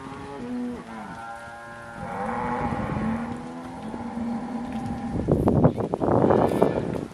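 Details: Cattle recorded in October 2023; a long low moo with stepped harmonics opens, followed by a drawn-out lowing bellow, then broadband rustling and rain-like noise toward the end.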